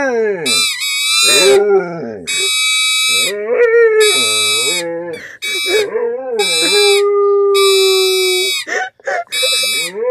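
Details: Pet pit bull howling along to a toy trumpet won at the Nebraska State Fair: wavering, sliding mid-pitched howls rise and fall between loud, steady, buzzy trumpet blasts, the dog's voice often overlapping the horn.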